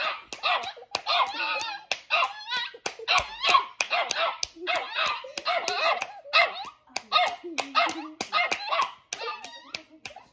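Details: A dog sitting on a girl's lap starts barking as someone claps hands with her: short, sharp, yappy barks in quick bursts, mixed with crisp rhythmic hand claps and voices.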